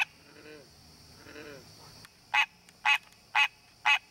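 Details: A wild green tree frog seeking a mate in its natural habitat: after two seconds of faint, softer croaks, four loud, honking calls follow at half-second intervals, with a steady high background hum.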